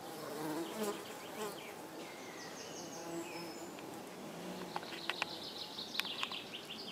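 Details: Tree bumblebees at a nest built inside a bird box, with a low, wavering buzz of several bees in the first seconds, then scattered clicks and brief high chirps over a steady hiss.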